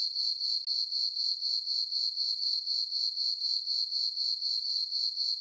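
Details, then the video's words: Crickets on a farm meadow during a peaceful full-moon summer night: high, metallic chirps repeating about four per second in a tight rhythm, with one brief break near the start. "Cricket chirping sounds for sleeping"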